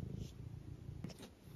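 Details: Eric, a pet tabby cat, purring indoors as his owner returns home: a steady low rumbling purr throughout, interrupted by a brief soft bump near the end.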